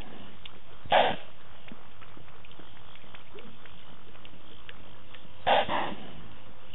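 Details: Sawing by Tingana, a wild leopard filmed with Thandi on the Djuma camera on 20 November 2018: a single harsh, breathy rasp, then a pause of several seconds, then two quick rasps close together over faint background noise.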